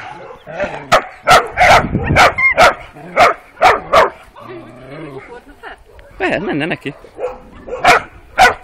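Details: On their first street walk, 12-week-old working Kuvasz puppies let out a string of shrill yaps, then a quieter stretch with a drawn-out whining or wavering voice and human talk.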